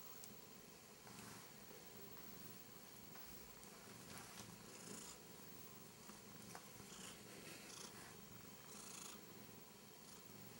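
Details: Ender, a Korat cat, constantly curious and interacting with everything, purring in a steady low rumble throughout, with faint clicks and rustles of handling over a broad background hiss.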